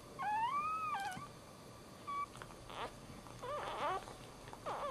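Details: Newborn Dachshund puppy, the first born, with one clear, rising then falling thin whine, followed by fainter brief squeaks and rustling sounds.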